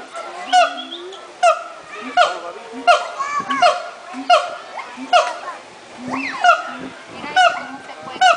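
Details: At Miami zoo, monkeys call noisily with harsh, nasal honking notes in a steady run, about one a second, some sliding slightly up or down in pitch.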